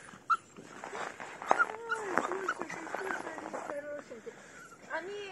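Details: Mixed-breed puppies, Jack Russell-type crosses, on their first walk outdoors, meeting a new person for the third time; high thin whines and short sharp yips repeat through the recording, overlapped by women chatting nearby.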